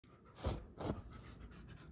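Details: Wolfdog panting: two breathy, broadband huffs about half a second apart, heaviest in the low range, then softer breathing that fades out.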